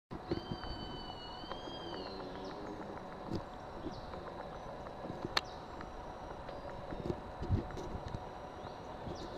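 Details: Sloths fighting at La Kukula Lodge, Playa Chiquita near Puerto Viejo, Costa Rica, February 2011: one high, arching whistled cry with harmonics near the start, over a steady insect-like hum and scattered clicks and knocks.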